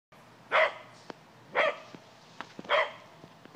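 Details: Gladys, a pet cocker spaniel, barks in a yard trying to scare off a white-tailed deer: three sharp, harmonic barks spaced about one second apart, with faint clicks between them.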